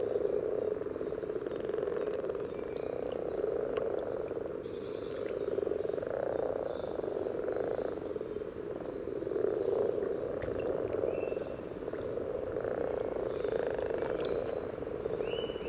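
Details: A chorus of common frogs at a spawning site by a path in Sunnersta, Uppsala, Sweden, giving soft, low purring croaks that blend into a steady, rolling hum; recorded with a parabolic microphone just above the water.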